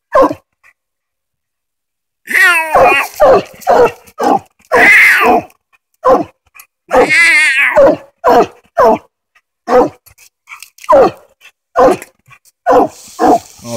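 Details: After two quiet seconds, Hoss the coonhound, treed on a den on a Tennessee coon hunt, bursts into barking mixed with a couple of longer rising, wavering bawls, then continues with rapid chopped barks.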